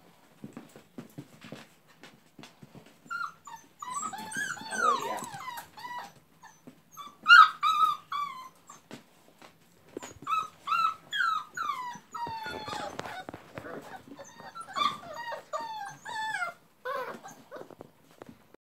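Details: Labrador Retriever puppies from a breeder in West Salem, Wisconsin, indoors, making many overlapping high whimpers and yelps in bursts, with rustling and small knocks between them.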